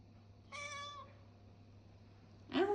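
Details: Nine-year-old pet cat indoors, which asks to be massaged three times a day, giving a short, clear, slightly falling meow, then a second rising meow beginning at the end, with a steady low hum in the room.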